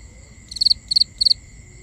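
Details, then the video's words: Crickets at night giving three crisp chirps, each a fast triplet of high pulses, spaced about a third of a second apart above a constant thin high drone. "Cricket Conversations | Binaural Nighttime Ambience"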